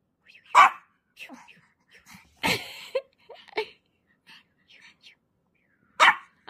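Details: Orange Pomeranian puppy barking during play: three sharp, high yaps spread over several seconds, with people talking softly in between.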